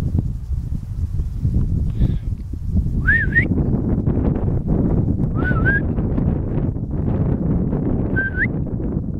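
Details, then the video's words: Marmot whistling in the Vanoise mountains near Pralognan, along the Félix Faure refuge trail: three separate high, wavering whistles spaced about two to three seconds apart, each ending in an upward sweep, against constant wind rumble. "Marmotte Vanoise"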